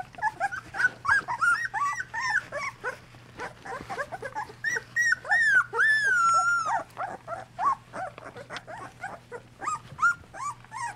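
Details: Two-week-old Golden Retriever puppies of the Dream Litter, eyes newly open, wobbling in a whelping box while their mother Mercedes cleans and nurses them; several pups give overlapping squeaky, arched whines and whimpers in rapid succession over a steady low hum.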